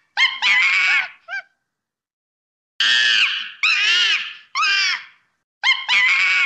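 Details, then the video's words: Monkey screams in loud, harsh, harmonic bursts: a double shriek and a short squeak, a silent gap of over a second, then three sustained screeches in quick succession and a final double scream. "SOM DE MACACO"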